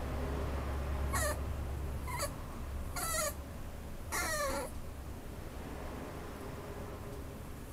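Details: A white Schnauzer gives four short whining squeaks across about four seconds, each a high thin cry sliding downward in pitch, over a steady low hum and then quiet.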